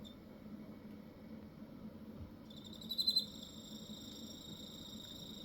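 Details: Quiet low hum gives way halfway through to a cricket in Hokkaido starting its song: a burst of rapid loud pulses, then a continuous bright high trill carrying on to the end.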